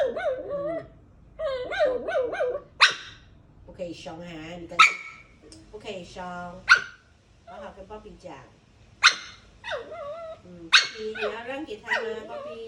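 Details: A dog gives short, sharp barks about every two seconds, mixed with wavering, drawn-out vocal sounds and human voices talking nearby.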